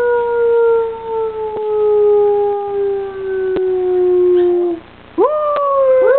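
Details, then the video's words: Howling young dog compared to a coyote, holding one long, steady, gradually descending howl for about five seconds, then starting a fresh upswept howl after a brief pause. "Teddy Bear Howls"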